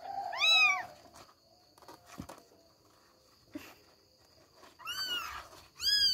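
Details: One of three kittens (Billie, Ely, Backy) struggling out of bed gives a sharp meow, then a lull with soft bumps and rustling, and two more high meows close the moment.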